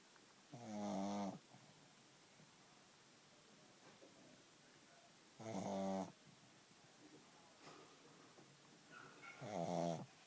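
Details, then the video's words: A pug snoring: three loud, rattling, buzzy inhaled snores, each under a second long and spaced roughly four seconds apart, with soft quieter breaths between them in a quiet indoor setting. "Pug snoring"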